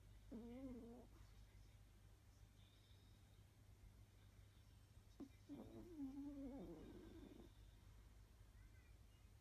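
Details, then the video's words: Chihuahua snoring while asleep in an odd position: two drawn-out nasal, tonal snores, the first brief and the second longer and rougher, separated by a quiet stretch with a steady low hum indoors. "イビキが可愛いチワワです♡The chihuahua which does a snore"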